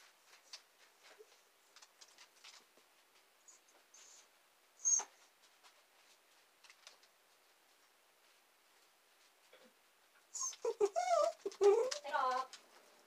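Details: Waiting indoors for their owner down in the basement, two young female dachshunds, Saigrorg and Tanggwa, stay mostly quiet with faint scrapes and one brief squeak. Near the end comes a burst of wavering, high, pleading whines lasting about two seconds.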